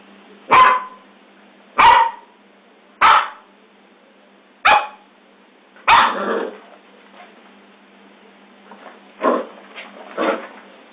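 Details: Scottish Terrier barking: five sharp, loud barks about a second or more apart, followed by softer, rougher vocal sounds and faint noises.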